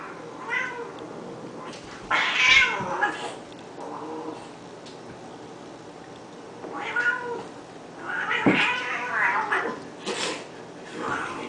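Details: Two house cats in one of their daily fights, trading loud, drawn-out wavering yowls rich in overtones, rising and falling in several bursts, broken by harsh hissing spits around the middle and end.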